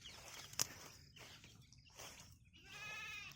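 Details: Goat on a farm with local grass growing all around gives one wavering, quavering bleat near the end, after a sharp click and soft rustling sounds.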